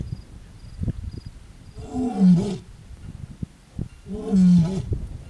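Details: A lioness calling on a cloudy morning in Ngorongoro Crater, Tanzania: two deep, drawn-out moaning roars, each swelling then fading over about a second, separated by quieter low grunts and breaths.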